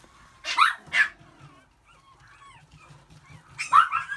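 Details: Male long-coat Chihuahua puppy, born 13 April 2018, white and red: two sharp high yips half a second apart, a pause with faint squeaky sounds, then one more bright yip near the end over a low background rumble.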